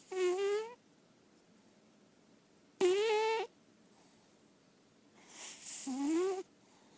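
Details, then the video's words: Lilac point Siamese cat, a female indoor cat, snoring while asleep: three loud snores about two seconds apart, each a harsh rasping breath with a rising voiced buzzy tone underneath, separated by quiet pauses. "Sounds of a Snoring Cat"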